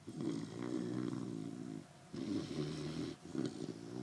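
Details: Puppy snoring loudly in its sleep: a steady, throaty rumble that carries on for nearly two seconds, pauses briefly, then resumes in shorter rasping bursts.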